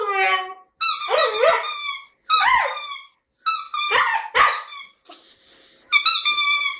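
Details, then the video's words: Siberian Husky named Jasmine singing in a lyrical mood: drawn-out harmonic woo-woo phrases in about five bursts separated by short silences, wavering up and down in pitch, with a quieter stretch near the end before a final clear note. "Хаски поет или Жасмин расчувствовалась."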